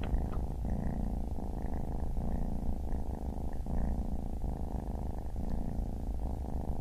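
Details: Baby kitten purr, a low buzzing rumble pulsing in even cycles about every three-quarters of a second, steady and unbroken throughout, recorded indoors with little else audible.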